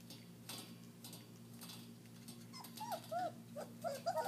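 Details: German Shepherd puppies about 3.5 weeks old, eating raw meat for the first time, give a few short high whimpering squeals in the last second and a half, over a steady low electrical hum and soft clicking.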